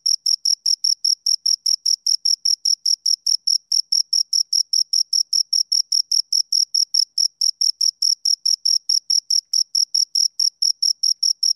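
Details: Shrill, evenly spaced chirps from two crickets, roughly four pulses each second without a break, against a silent background.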